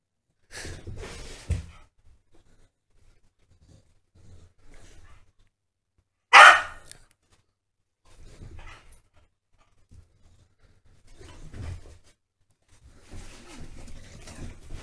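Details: Staffies Holly and Ralph playing together; soft scuffling and shuffling noises are broken by one sudden, loud, sharp bark midway.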